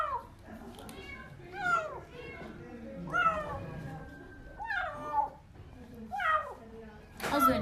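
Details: Starving young kitten found beneath apartment blocks, wailing as it eats wet food for the first time; five or six falling, strained meows spaced over several seconds, with a woman speaking Turkish softly in a small room.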